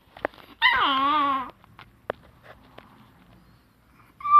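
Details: A Chihuahua called Rana, June 2018, lets out a quavering, vibrato whimper for nearly a second, followed by soft ticks and scuffles and the start of another high whine at the end.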